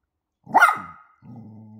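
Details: Poodle mother with her puppies: one short, sharp bark, then a low, soft growl-like rumble.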